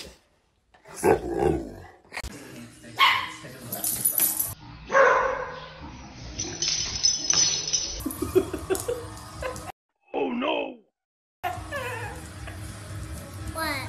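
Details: Domestic dogs in a funny-dog compilation, barking and yipping in short bursts across several abruptly cut segments, with human voices and background clatter between the barks.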